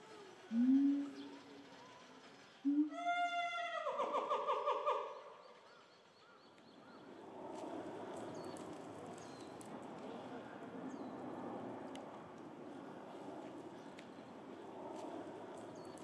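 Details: Gorillas of the Shabani group in Japan, May 2023, during a family fight: daughter Annie angrily chases her father Shabani, other gorillas join, and old female Nene screams. A short low cry, then a loud, rich, harmonic scream of about two seconds, followed by quiet rustling.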